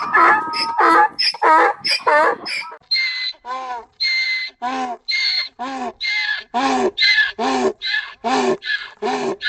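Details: Donkey braying in a rapid run of harmonic, see-sawing notes, about one and a half per second, with higher, thinner tones in the first few seconds and steadier, lower-pitched heaving pulses after.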